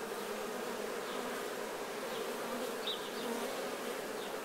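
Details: Many honey bees, busy cleaning nectar from their bodies while honey is being taken, produce a continuous even hum, with a brief higher whine near the three-second mark above the constant drone.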